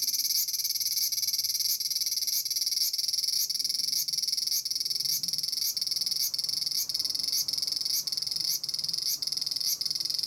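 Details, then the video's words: Japanese large brown cicada (Graptopsaltria nigrofuscata) in a persimmon tree, giving a loud frying, sizzling buzz broken by short regular breaks about every 0.6 seconds, a steady chattering rhythm. "Japanese Cicada 1 - アブラゼミ(Graptopsaltria nigrofuscata)"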